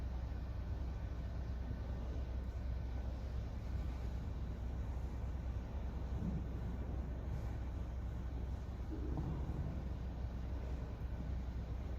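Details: Steady low rumble of wind or distant traffic fills the field recording, with no clear animal calls.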